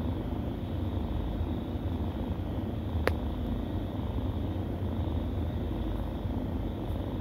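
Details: A low, unbroken purr from kittens feeding at the teat, a rumbling drone with slight pulsing, interrupted by one sharp click about three seconds in.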